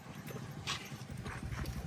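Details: Horse in Amreli, Rajula area being trained for jumping, with clip-clopping hoof sounds and soft low thuds, bursts of noise and people talking nearby.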